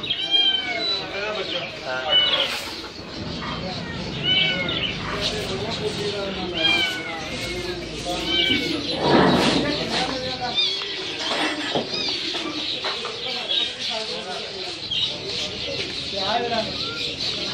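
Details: Persian cat for sale at the Lalukhet Sunday Birds Market in Karachi, giving repeated short wavering meows amid men's talk, market bustle and scattered bird chirps.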